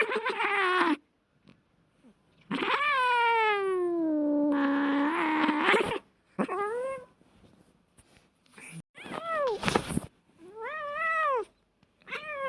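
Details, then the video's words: Fighting domestic cats: drawn-out, wavering yowls lasting several seconds, broken by sharp hisses and spits, ending with repeated arched, rising-falling wails. "Hilarious and Funny Fight Sounds of Cats"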